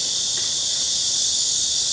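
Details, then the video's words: Chorus of cicadas heard on a daily walk near a house at the end of a very hot summer, a dense continuous high-pitched buzzing shimmer, loud and even from start to finish. "cicadas singing"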